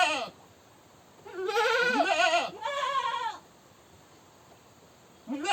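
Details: Screaming goat letting out a long quavering bleat of nearly two seconds, then a second shorter wavering cry, with brief harsh calls at the start and end; strained, bright and heavily harmonic voice.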